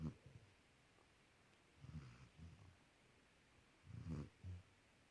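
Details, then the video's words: Puppy snoring loud while sleeping and cuddling with his boy: deep, low snuffling snores in short clusters, a strong rough snort followed by a quieter one, and a quiet pause between. "Puppy snores loud super funny when he gets woke up"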